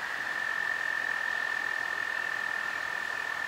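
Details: A spring chorus of American toads (Anaxyrus americanus) on the Potomac River at River Bend Park, Great Falls, Virginia, April–May 2019: a steady, sweet high trill, several voices blending into one continuous ringing tone.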